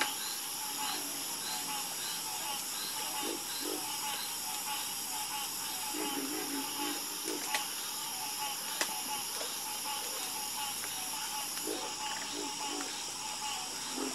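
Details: Frogs in a calming chorus, giving short low croaks scattered every second or two, some in quick pairs, over a steady high insect-like hiss and ringing bands.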